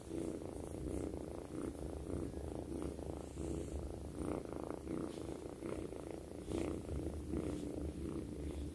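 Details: Loud, sustained purring from Twinkle, a sleeping kitten lying beside her owner: a dense low vibrating drone that rises and falls evenly with each breath, steady throughout with no other clear sounds.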